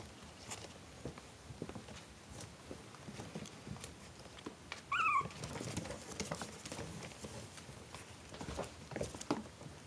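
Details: Litter of four-week-old Maltese Shih Tzu cross puppies; one short, high squeaky yelp with a falling tail midway, amid soft shuffling, pattering paw and bedding noises at low volume.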